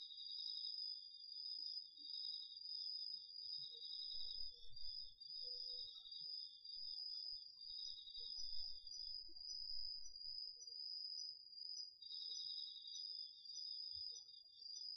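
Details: Crickets and other autumn insects singing after dark in a home garden plot, DR-40X recording: constant shrill trill with a lower pulsed chirping line that drops out midway then returns, plus faint low thumps.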